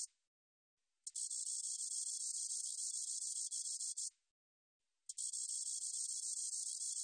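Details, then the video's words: Spotted meadow katydid from a 2020 National Institute of Biological Resources recording, producing an even, shimmering buzz that starts abruptly, holds for about three seconds, stops for a second, and starts again. "점박이쌕쌔기, 여러번 듣기, 곤충소리"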